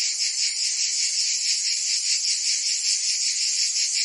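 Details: Cicadas singing in summer in Provence, France: a dense, continuous high buzzing chorus with a fast, steady pulsing throb, unbroken throughout, with no other sounds.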